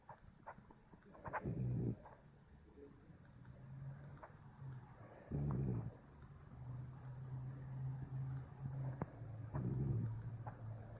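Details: A sleeping puppy snores in low, rumbling bursts about every four seconds, three in all, with a softer low hum from the breath between them.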